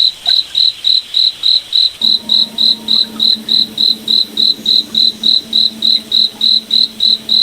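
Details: Cricket in a forest at night, chirping in bright, evenly spaced pulses about three and a half times each second; a soft low steady hum joins partway through.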